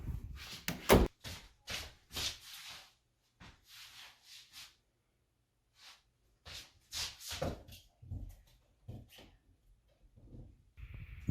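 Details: A person talks in short bursts indoors, with soft thumps and rustling between phrases during a game of hiding a toy; no animal call.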